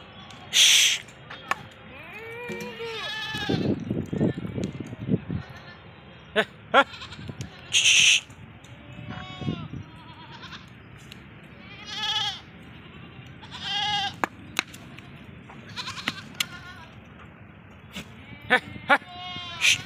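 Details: Female Sirohi goats (Capra hircus) on a goat farm in Ajmer, Rajasthan, give wavering, nasal bleats, with several calls overlapping at irregular intervals.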